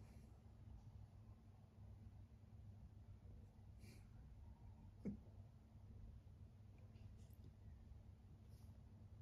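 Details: Ziggy, a male kitten rescued from the street and now living indoors in Berlin, purrs in bliss: a steady, low rumbling hum runs throughout, broken once midway by a short snort, with faint quiet sounds in the room.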